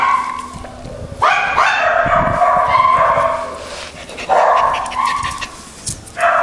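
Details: Schipperke dogs giving irregular bursts of sharp, high-pitched yapping barks and yips, separated by short quieter gaps with faint low rustling in the background.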